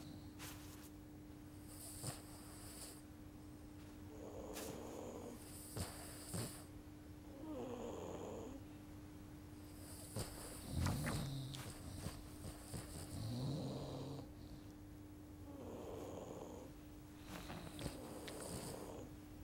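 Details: Sleeping, dreaming Labrador Retriever puppies snore softly: low, rhythmic breaths every few seconds, with some snorting puffs and a steady background hum.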